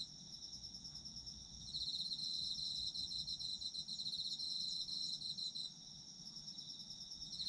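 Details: Autumn insect chorus for sleep listening: a high, thin trill begins softly, then louder callers join in, rapid pulsing chirps overlapping before easing back to a quieter shimmer.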